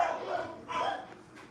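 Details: A boarded puppy throwing a temper tantrum barks twice in quick, loud bursts; dog.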